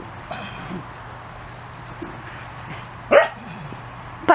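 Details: Thirty-four-day-old Corgi puppies on their first outdoor play session give two sudden, sharp yelps near the end, preceded by faint soft whimpers against a constant low background hum.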